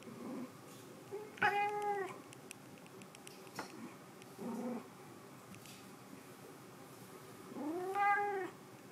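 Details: A white cat meows twice, each call a loud arched cry, first rising then sliding down, spaced about six seconds apart, with short soft chirps and scattered clicks in between.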